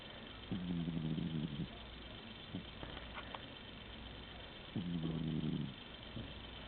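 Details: ['Sleeping domestic cat snoring while it snoozes: two low, rumbling, buzzy snore bouts of about one second each, roughly four seconds apart, with a quiet breathing pause between them.']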